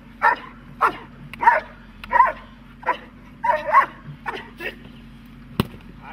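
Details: Dog barking during protection training, giving about nine sharp, harsh barks in quick succession, some doubled, spaced roughly half a second to a second apart, over a steady low hum with a single loud click near the end.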